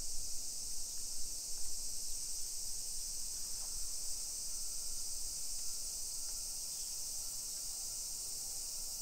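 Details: Summer cicadas droning over a residential street in Nisshin, about 20 km from downtown Nagoya, Japan, at 1 PM on 28 July 2021: an even, high-pitched buzzing hiss, faint thin tonal whistles, and low traffic-like rumble.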